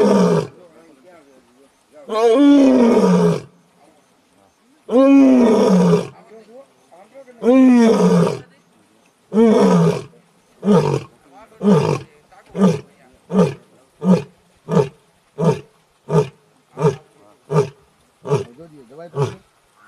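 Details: An Asiatic lion roars on a morning safari at Sasan Gir, Gujarat: deep, drawn-out moans give way to a quickening run of short, grunting huffs.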